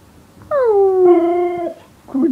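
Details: Morning greeting from Yorga, a Siberian Husky in bed with its owner: one sustained, rich harmonic howl that drops then holds steady for over a second, followed by a short vocal sound.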